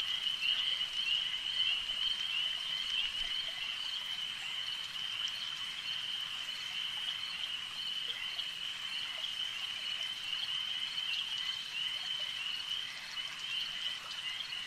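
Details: Frogs at a lake keep up an unbroken, high buzzing trill over a long stretch, slightly louder at the start, with faint scattered clicks and hiss beneath.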